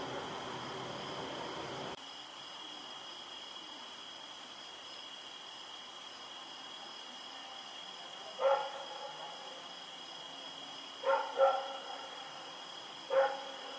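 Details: Night barking from Rex, a dog running around in the dark on Oct 7, 2018: single and paired distant barks spaced a few seconds apart over a constant electrical-sounding hum.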